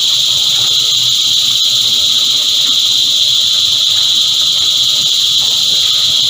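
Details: A chorus of cicadas, described as annual cicadas emerging every year, sings a dense, unbroken shrill buzz that stays steady at a high pitch throughout, with a fainter upper band above it.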